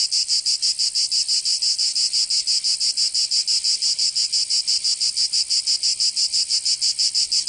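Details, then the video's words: Cicadas in the southern French region of Provence during summer, giving a shrill, grating drone chopped into regular quick beats, around three each second, unbroken to the end. "Canto Cigarra 🦗 [ Escuchar les cigarras en verano 10 H]"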